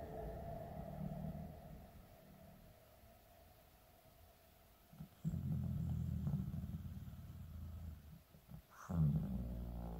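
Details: Sleeping elderly Shiba Inu Shizukun, aged 15, snores deeply in winter. A loud, low, rattling snore runs from the middle to near the end, followed by a brief click and another low snore.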